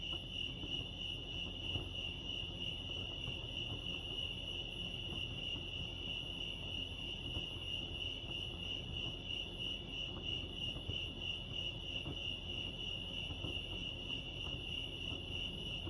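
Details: Continuous cricket chorus at Lake Arrowhead in California, a bright high-pitched pulsed trill running evenly throughout, over a low background hum.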